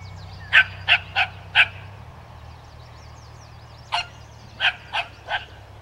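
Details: Barking dog confronting a skunk: a rapid series of four sharp barks, a gap of about two seconds, then four more barks, with a low hum and faint twittering behind.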